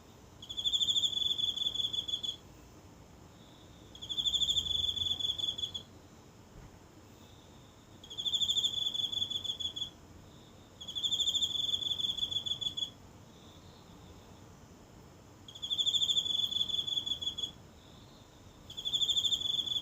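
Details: Close phone recording of a lone insect in a small garden's grass on a silent night: a high, even trill repeated in about seven bursts, each near two seconds long, with brief pauses between.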